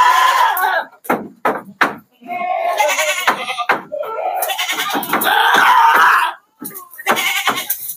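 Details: Several goats from a sixty-head shipment trucked at night to Jambi, Indonesia. Repeated harsh, quavering bleats overlap one another, broken by sharp clattering knocks and brief gaps, with human voices mixed in.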